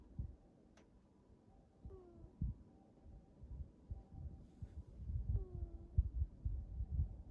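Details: A black cat snoring: soft, low rumbling breaths pulsing irregularly about once a second, growing louder toward the end, with two faint descending tones in a quiet indoor room.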